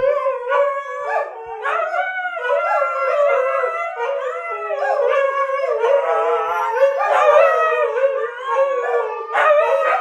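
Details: Several dogs from a household pack howl together as a choir, led by a guest conductor. Overlapping sustained, wavering howls with sliding pitches layer continuously across the whole stretch, some voices rising and falling, with a few short yips mixed in.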